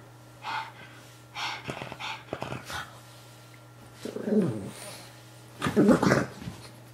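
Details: Pug Moo Man indoors, attacking his new Ikea toy guinea pig: short rough growling grunts in two bursts, with sniffing and snuffling sounds between them and a steady low electrical hum underneath.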